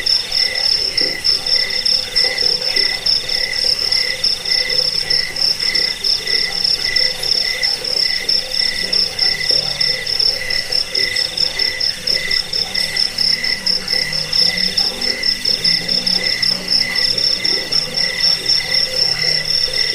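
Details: Cricket chirping for repelling rats, helping sleep and training birds; a persistent piercing pulsed trill over a steady mid-pitched beating tone, lower faint pulsing calls scattered throughout.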